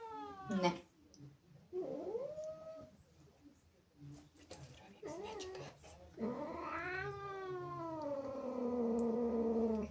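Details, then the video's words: Jealous, angry female house cat reacting to kittens in her home: drawn-out harmonic yowls, a rising wail, short chirps and a long arching caterwaul to the end, with faint talking in the room. "Angry cat makes incredible sounds"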